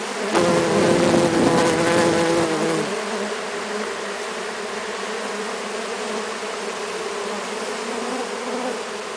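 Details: Many Brazilian stingless bees (Melipona scutellaris, M. anthidioides, M. mandacaia) fed syrup by hand; a loud, clear two-tone whining buzz of a close bee for the first three seconds, then a softer continuous hum of the cluster.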